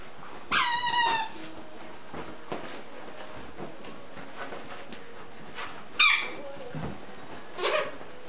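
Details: English Cocker Spaniel puppies, nine weeks old, playing and tumbling in the evening; three bursts of sharp, squealing yelps with wavering pitch, one near the start, one about midway and one near the end, with soft rustles between.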